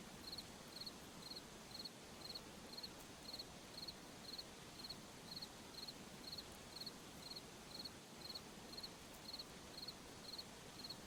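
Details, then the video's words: Crickets chirping in a forest at night: short pulsed chirps repeated about once per second, steady and regular, over a constant broadband hiss of night ambience. "Sound of Forest at Night, crickets, insects"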